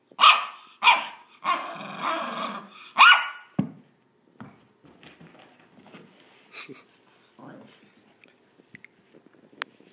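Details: Maltese dog during a game of fetch, giving four loud, harsh barks with growly undertones in the first few seconds, then quiet thuds, scuffles and faint small sounds for the rest.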